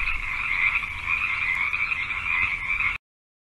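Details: Continuous frog croaking heard as a steady buzzy mid-pitched hum with little variation, cutting off abruptly before the final half second of silence.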